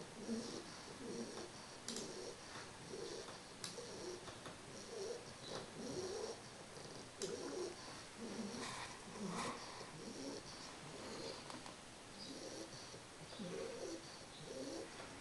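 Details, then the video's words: Sleeping English Bulldog puppy named Carles, three months old, snores steadily: a run of grainy, low, puffing breaths about once per second, with faint clicks and a thin steady background hiss. "CARLES mi bulldog ingles,roncando."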